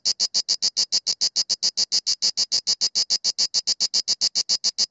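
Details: A Mediterranean cicada (Cicada orni) sings in October 2017 at Sueca, Spain, late in the season on a warm day above 22°C. The song is a steady run of sharp, high buzzy pulses, about six each second.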